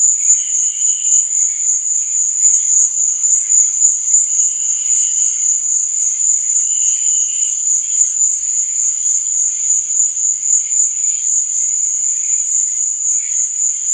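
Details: Night chorus of crickets, a continuous piercing high-pitched trill that never pauses, overlaid by occasional short, lower chirping bursts rising and fading every few seconds.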